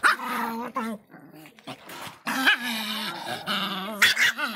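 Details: Miniature Pinscher Faisca, described as feisty, with a strained, wavering yelp, a pause of soft sounds, then another long quavering cry ending in short barks.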